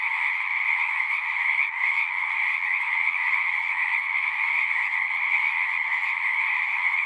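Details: A mass of frogs calling at a pasture pond, dense overlapping trills blending into an even, high, unbroken chorus from start to finish.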